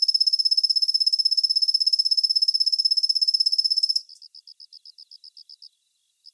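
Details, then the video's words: Kusa-hibari cricket (Svistella bifasciata), which calls mostly from dawn through the morning: a fast, even, high trill of clicks for four seconds, then a slower series of separate high pulses. "心地いい クサヒバリの鳴き声"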